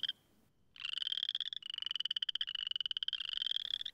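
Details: Boreal chorus frogs in early spring at a temporary flooded pool in Missouri give rapid, rising pulsed trills like a thumb run along a comb, with males puffing out their throats in mating display.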